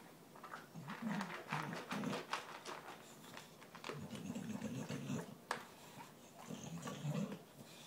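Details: Dog eating its dinner, trying to finish its food before the other dogs get to it; low rumbling growls come in bursts near the start, middle and end, with clicks and soft indoor noise between.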